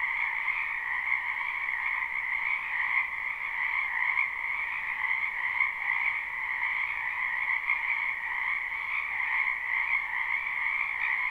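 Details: A wetland full of frogs in spring, captured live without looping; their croaking forms a constant, shimmering chorus of fast trills at an even loudness from start to end.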